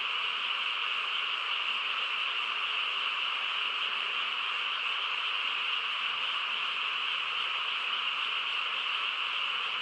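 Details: Frogs calling together through a quiet night in the countryside: a steady, dense buzzing chorus of overlapping voices, unchanging from start to finish, nothing else standing out.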